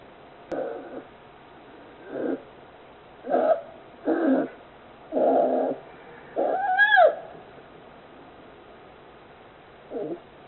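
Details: A captive polar bear cub, 41 days old, born 26 December 2020 in Oga, Akita, Japan, snores heavily: rough breathy bursts, one with a brief rising squeaky tone, then a long pause before a final rasp.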